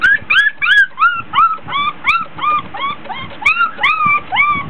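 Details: Litter of 24-day-old Border Collie puppies playing in a whelping box at home, hot, tired and fussy: a steady run of high, squeaky whines, each bending up then down, repeated roughly three times a second without pause.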